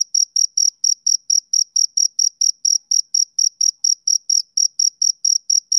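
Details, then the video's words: Summer-evening chirping of a male cricket. Clean, shrill pulses repeat quickly and evenly, roughly four per second, in a continuous run over a silent background. "Cricket Chirping Sound Effect"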